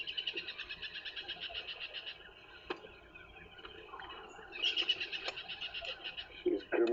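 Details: A tree squirrel gives a rapid, rattling alarm chatter in quick bursts at a female leopard, Karula, who climbed a tree on a morning drive, the day after she lost her cub.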